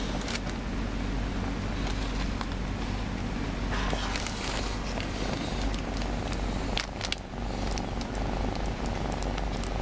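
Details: A shy, newly adopted pet cat being cuddled in an awkward spot because it dislikes being carried; steady low rumbling purr runs throughout, with scattered rustling and handling clicks over it.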